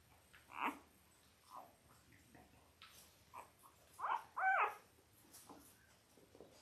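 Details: Litter of five-day-old Labrador Retriever puppies indoors, born October 15, 2023: scattered short squeaks and whines, one louder two-note whine near the end, over quiet background hiss.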